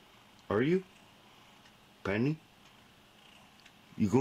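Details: Lynx hybrid exotic pet cat indoors at bedtime, giving two short meows about one and a half seconds apart. Each is harmonic-rich and sweeps downward, and a third call begins just as the recording ends. The small room is otherwise quiet.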